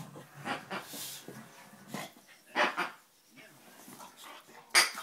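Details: Buddy, a five-month-old Dogue de Bordeaux puppy, at play indoors; a few short, sharp barks and grunts come in scattered bursts, with a person talking nearby and a loud click near the end.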